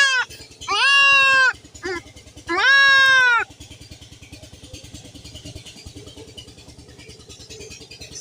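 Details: Distressed bleats from a young goat being castrated: two loud, wavering cries about a second each close together, followed by several seconds of steady low rhythmic mechanical pulsing.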